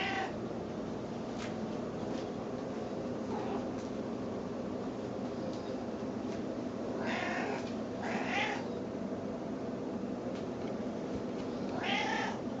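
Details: Snowshoe cat, a female pet indoors, making baby-like cries while circling and expecting to be fed: three or four short, wailing meows spaced a few seconds apart, two close together, over steady low household hum.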